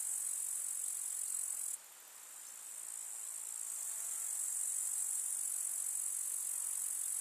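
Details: Grasshoppers stridulating in a village summer meadow, a shrill continuous buzzing that cuts abruptly softer just before two seconds, then gradually builds back to full strength.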